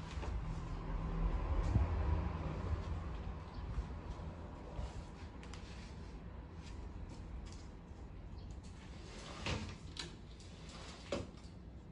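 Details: Indoor household sounds: cupboard or sliding-door knocks and rattles over a steady low rumble, with no animal voice heard.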